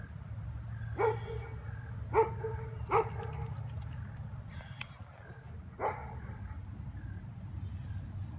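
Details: Female golden retriever at a lake in December, catching fish from the water; four short, clipped harmonic barks spaced about a second apart, then one more after a pause, over a steady low rumble.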